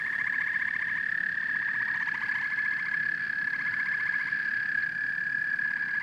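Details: Frogs and toads calling in chorus, rapid pulsed trills in bursts of about a second laid over a constant high ringing trill, with soft low croaking in the background.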